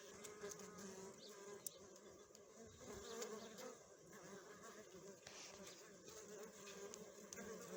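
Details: Western honey bees (Apis mellifera) at the hive fill the air with a dense, steady hum, low and droning with a faint shimmer.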